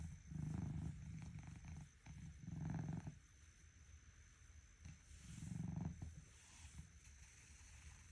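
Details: A domestic cat asleep in the morning, snoring: deep, low rumbling breaths that swell and fade roughly every two to three seconds, with a faint steady high whine behind them.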